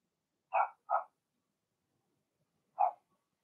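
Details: Blenheim Cavalier King Charles Spaniel puppies from Remy's first litter of six, indoors in a puppy pen: two quick sharp yappy barks, a two-second pause, then a single bark; otherwise quiet.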